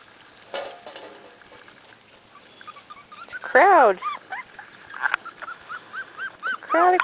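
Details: Corgi puppies, several from two litters, outside for the first time and then brought back inside; high squeaky whimpers and yelps with wavering arched tones, clustered near the end, with a woman talking softly.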